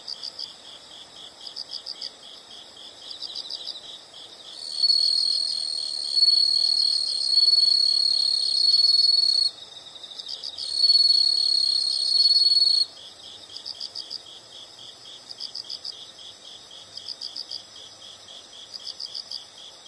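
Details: Insects calling: high, rapid pulsed chirps in short bursts, joined midway by a louder, steady, shrill trill that runs for several seconds, breaks briefly, then resumes before the chirping returns alone.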